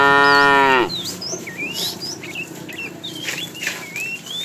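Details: A cow from a tame herd heading to fresh pasture gives the tail end of a strong, harmonic moo that cuts off after under a second, followed by a busy chorus of small birds' chirps and whistles.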